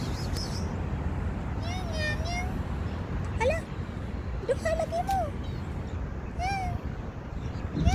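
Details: Street cats filmed in January 2024 give a series of short, bending meows, some rising then falling, spaced a second or so apart over a steady low background rumble, with brief clicks and scattered voices.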